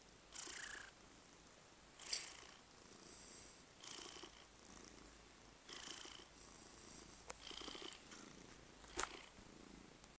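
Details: Purring from a cat during a massage: repeated hushed, raspy pulses each lasting under a second, spaced by brief silences, with a few faint clicks in between.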